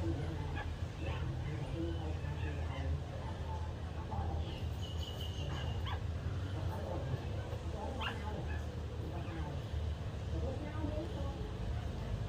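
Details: Two-day-old puppy breast-feeding from its mother, giving short high squeaks and thin whimpers in scattered bursts, with a few clustered near the middle and later on, over a steady low rumbling background.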